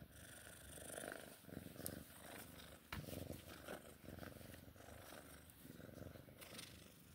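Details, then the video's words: A female Sphynx cat at play purrs in a steady, rumbling low buzz with rhythmic pulses and brief clicks. "Sphynx cat play time purring ASMR sounds"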